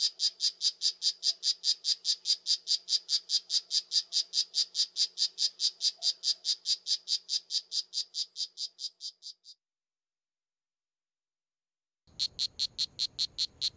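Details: Rapid high chirps from a poison dart frog, about two and a half per second, fading slightly before stopping near nine seconds. After a pause a new chirping train begins over a low background rumble.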